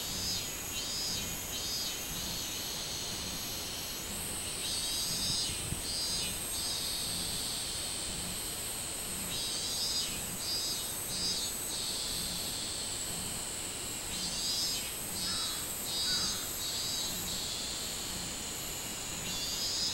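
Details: A chorus of minmin cicadas, recorded 24 July 2016, gives a loud, high, buzzy drone pulsing in waves as individual callers rise and fall, with a fainter higher whine steadily behind them.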